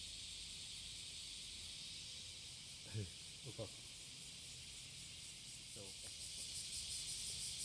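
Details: A cicada sings to attract a mate on the morning of July 30, 2017, at Passage de la Duee. A continuous sizzling buzz holds steady and swells slightly toward the end, with brief human voice fragments around three seconds.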